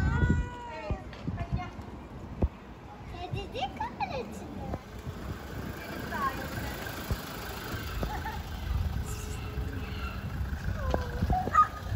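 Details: Hungry stray cats living on the street, approaching to ask for food: short arched meows open the recording and a few more sound later, under people talking and passing traffic noise outdoors.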